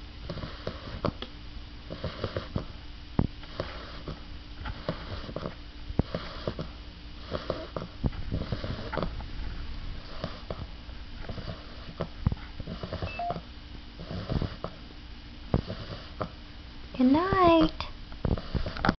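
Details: A very tired female English Bulldog puppy snores with soft, rasping breaths repeated every two seconds or so.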